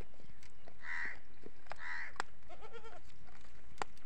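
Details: Goats at a goat farm in early morning, an adult with kids calling out of hunger; two high, quavering bleats near one second apart, then a lower, wavering bleat, with clicks and background noise.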